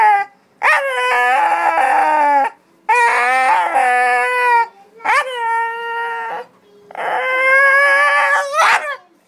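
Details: Pet dog "talking": four drawn-out yowling howls with wavering, warbling pitch that often rises at the onset, each lasting around two seconds, with short quiet gaps between them.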